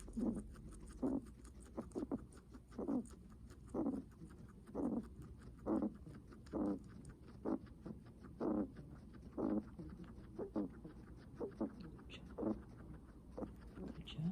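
A guinea pig breathing heavily, each short, breathy puff coming roughly once a second.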